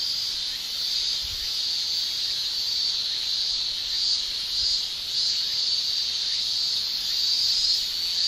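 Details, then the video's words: In summer in Japan, male cicadas produce an even, piercing high-pitched hiss with their tymbals, nearly unbroken, with faint swelling and a couple of soft low thumps in the background. "Japan Summer Cicada Shrilling Relaxing Sound"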